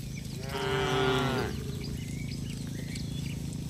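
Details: Tame cattle herd walking home along a village road with their herder: one drawn-out, harmonic moo lasting about a second, then low rumbling background noise.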